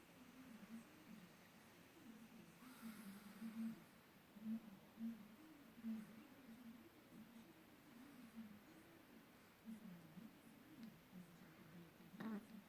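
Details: A sleeping pug snores in a small room: low, rumbling snores in an uneven rhythm, roughly forty a minute, with a brief hiss of breath near the third second.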